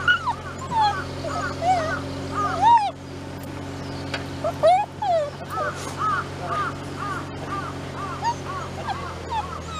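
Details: Shiba Inu, one of the pair Ichi and Hachi, out on a mountain water source while a water pipe is repaired, gives high, arched whining yelps that rise and fall, repeated rapidly and overlapping, over a steady low mechanical hum.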